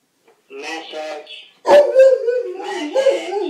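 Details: Kipper the dog howls in response to a ringing phone: a softer wavering opening phrase, a brief pause, then a loud sustained mid-pitched howl that holds steady before sliding slightly downward.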